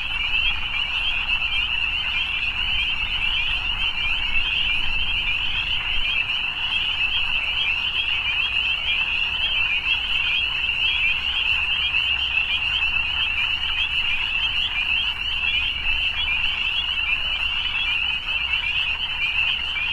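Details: Steady massed croaking of evening frogs, countless fast pulsing trills blending into one bright sustained buzz that never pauses, with a quiet low drone underneath.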